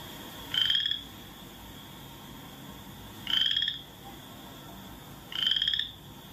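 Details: A Western Chorus Frog, a small striped frog about the size of a quarter, from Iowa in spring, gives three short rising trills, like a finger run along a comb's teeth.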